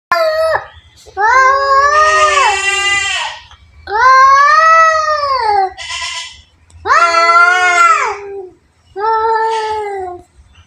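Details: Two cats fighting indoors: loud, drawn-out wailing yowls of one to two seconds each, rising then sagging in pitch, five bursts with short silent gaps between them.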